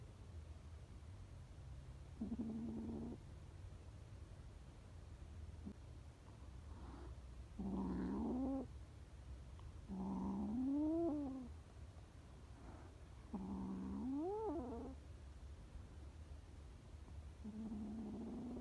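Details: A string of plaintive meows from scared stray kittens, some short and flat, others swooping up and down in pitch, coming every two to three seconds against a quiet low hum.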